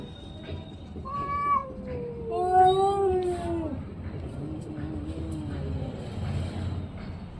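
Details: Orange and white cat letting out a couple of long, sliding meows that fall in pitch, over a steady background hum.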